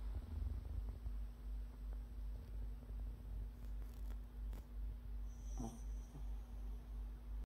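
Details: Sleeping dog snoring indoors: soft, low rhythmic rasping breaths repeating roughly every third of a second, steady throughout, with a faint constant background hum and a brief rustle near the end.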